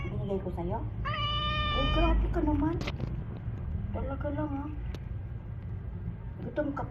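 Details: Domestic cat, named Tiger, giving short wavering meows and one longer meow in quick succession, mixed with a woman's Tagalog speech about feeding it and a steady low household hum.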